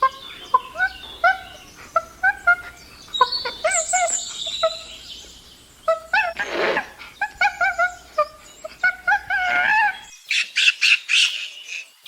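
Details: Chimpanzee calling: short rising harmonic hoots come in quick bursts, broken by a harsh noisy burst midway, then the sequence ends in high, strained screams repeated several times.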